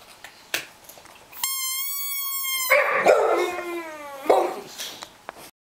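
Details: A pet dog 'singing': after a long steady, flat musical tone, a wavering howl bends downward over roughly one and a half seconds, with short yips and scratchy noises around it.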